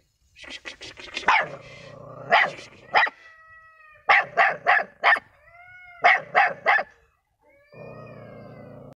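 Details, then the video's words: Dog barking in rapid bursts of two to four sharp barks, with high whining tones drawn out between the groups and a low steady hum in the background. "dog barking"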